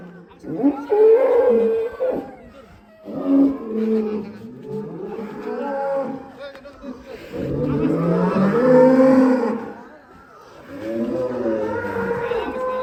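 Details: Angry cow breaking out of its pen in Indonesia bellows repeatedly: several drawn-out, strained moos with rising and falling pitch, coming every two to three seconds, with some voices of people in the background.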